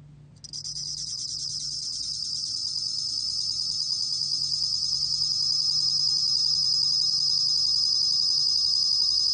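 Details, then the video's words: Shrill, finely pulsed trill of a bell cricket (곰방울벌레), 2020 National Institute of Biological Resources recording, starting suddenly after a brief quiet moment and swelling gradually louder, unbroken to the end, with soft low hum beneath. "곰방울벌레, 여러번 듣기, 곤충소리"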